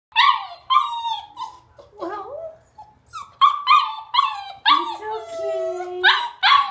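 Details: Greater Swiss Mountain Dog puppy named Duke, seven and a half weeks old, frustrated while trying to go downstairs; high whines and yelps rising and falling, some long drawn-out cries, in a steady stream with brief pauses.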